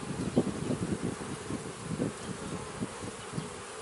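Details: Honey bees at a beekeeping hive: a low, buzzy hum rising and falling in short, uneven pulses, several swells within a few seconds over a steady background drone.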